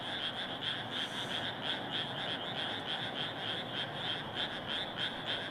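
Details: Dense chorus of many frogs in a rice paddy: rapid pulsed croaking, about three pulses a second, forming steady overlapping high bands with a continuous hiss beneath and no other clear sounds.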